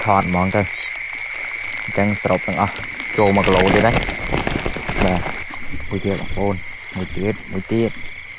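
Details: Frogs croaking after the first rain of the year in Cambodia, during a frog-catching outing: repeated groups of low harmonic croaks, partly overlapped by a man talking, with a thin continuous insect whine.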